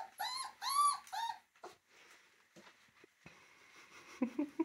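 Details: Puppies at play indoors: three loud, high whining yelps with rich harmonics open the first second and a half, followed by scattered softer yips, scuffling thumps and rustling until the end.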